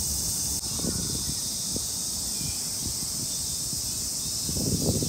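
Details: Cicadas in a Tokyo park in summer keep up a constant high buzz, while low scattered rustling and thumping noises come and go underneath.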